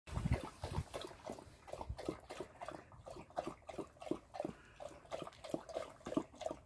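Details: A Polish Tatra Sheepdog, one of three white dogs guarding a porch entrance after a walk, barks in a quick, uneven run of deep, muffled woofs.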